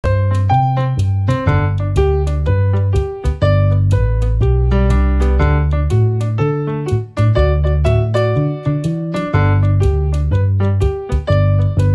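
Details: Bright electric piano melody over a bouncing bass line fills the whole stretch, with no barking or other animal sounds.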